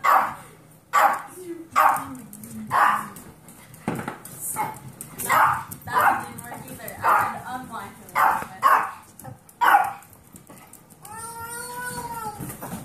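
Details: Foster dogs, 8-year-old Pomeranian Kirby with 8-week-old Golden Retriever mix puppies, bark in an uneven run of about a dozen high yaps, some doubled, ending in a drawn-out squeaky whine with clear ringing overtones.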